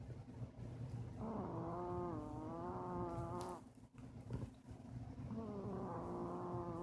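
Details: Two-year-old female Chihuahua snoring in her sleep: two long, nasal, whistling snores of about two seconds each. Each has a slightly wavering, buzzy tone, and a short quiet gap separates them.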